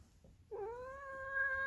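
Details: Female polydactyl cat making weird noises: one meow that starts with a short rising scoop, then holds a long, steady, strongly tonal note that grows slightly louder toward the end.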